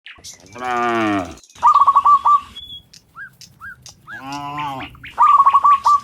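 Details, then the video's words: Dozens of cows in the morning, returning from the field to the pen: two drawn-out, low, rich moos near the start and middle, with quick repeated chirping bird notes between and after them. "Sound Dozens of Moo Cows in the Morning, Returning from the Field to the Pen, the Sound of Cows"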